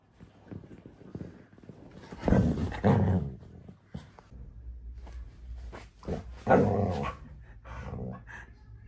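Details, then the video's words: Phoebe, a female pet dog, lets out low, throaty grumbling and growl-like vocal bursts, loudest around the second and third seconds and again near the seventh, with a softer drawn-out moan toward the end over a faint household hum. "Youtube's Craziest Dog But So Cute"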